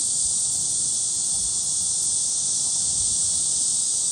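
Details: Shrill cicada buzzing at Gwangalli Beach, where dragonflies are about, a loud uniform hiss of high sound filling the whole moment, with little else beyond a faint low murmur.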